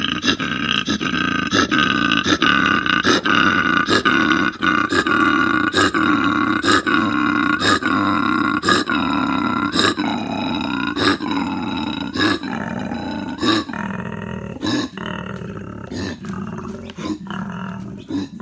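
A koala gives a deep, rasping, snore-like call broken by rapid rhythmic pulses.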